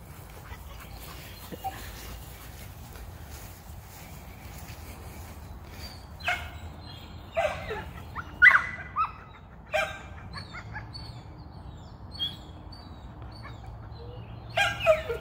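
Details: Outdoors, an American Pit Bull Terrier eager to hunt rabbits lets out scattered short barks and high yips, clustered in the middle and again at the end, between stretches of near silence.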